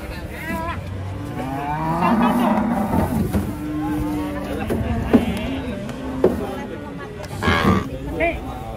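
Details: Cow stepping down off a truck, a long steady low moo held for a couple of seconds, then shorter lowing, mixed with people talking, bangs and clatter nearby.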